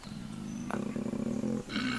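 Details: Wild koala, a male, in woodland; a continuous low, pulsing, snoring-like rumble with steady buzzy tone, briefly interrupted near the end, lasting the full two seconds.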